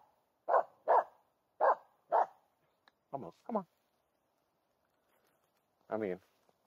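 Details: Finnish Spitz Aamu Tähti, a female, barks at a well-hidden squirrel in a green summer forest in mid-August, driven by her hunting instinct. Four loud, clipped barks open the recording, then a person talks quietly.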